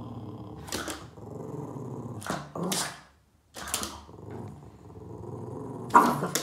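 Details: Boston Terrier named Yoda, upset while chasing shadows on a wall, growling in low rumbling bursts with short grumbling pauses, broken by a few sharp huffing yaps and one near-silent gap.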